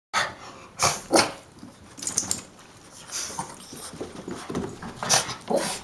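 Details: Two small pet dogs, Gizmo, a black and white Shih-tzu/Maltese, and Kodi, a black and brown Yorkie/Maltese, greeting at the door indoors: sharp short yips and barks in scattered bursts, with rustling and a person's voice nearby.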